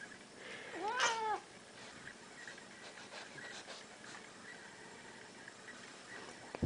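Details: A seal point or blue point Siamese cat, one of two 8-year-old housemates known to scream by the door, gives one strong meow that swoops up then drops as a greeting to its owner, then the room falls quiet with faint hum.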